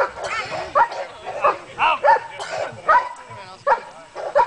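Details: German Shepherd doing protection bitework at a competition, barking in a rapid, uneven series of short, harmonic-rich barks, roughly eight bursts in under five seconds.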